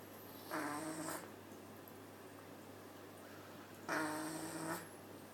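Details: Domestic cat asleep in a cat cafe, snoring: two rasping breaths with a faint tonal edge, each lasting about half a second and spaced roughly three seconds apart, over a quiet steady hum.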